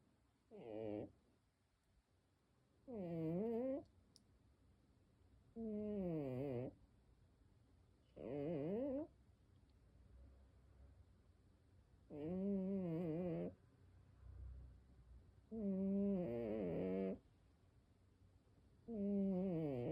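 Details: Domestic cat snoring indoors: tonal, humming snore sounds about a second long recurring roughly every three seconds, each with wavering, rising-and-falling pitch, over a quiet room background.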